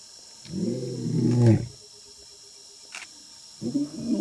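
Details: A lion heard up close gives a deep, rumbling, harmonic roar, followed after a pause by another low groan.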